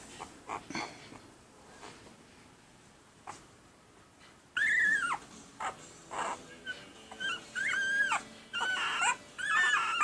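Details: One-week-old red and sable male Pembroke Welsh Corgi puppies, April 2020: faint scattered squeaks and soft noises at first, then louder high-pitched, bending whines and squeals in quick succession during the second half.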